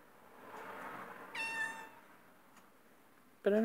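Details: Pet cat meowing inside, one short steady meow of about half a second over a soft murmur of background voices, ending with a sudden loud low thump or voice burst.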